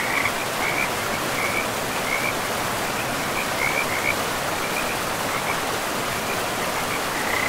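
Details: Frog calls beside a forest river: short, high chirping notes repeated irregularly throughout, partly masked by the loud, steady rush of flowing water.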